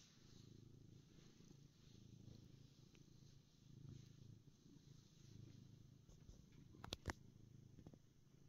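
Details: A black pet cat described as happy purrs steadily indoors, a low continuous rumble that swells and eases in slow waves, with a few faint clicks near the end.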